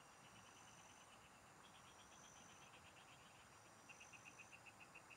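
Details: Frogs of the fields calling while someone fishes: rapid strings of sharp, high clicks run almost without pause, one train flowing into the next, backed by a faint steady whine.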